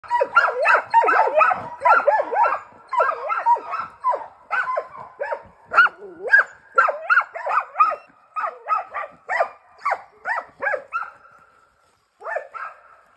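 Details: A Brandlbracke and a Slovenský kopov hunting dog, working on wild boar, give a run of loud, ringing barks, nearly two every second, with a brief pause near the end.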